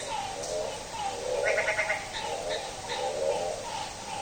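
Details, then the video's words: On a rainy night at midnight a frog gives nasal, bleating calls much like a goat, several in quick succession, with fainter high chirps mixed in. "Frog roaring like a Goat | Frog Sound at Midnight"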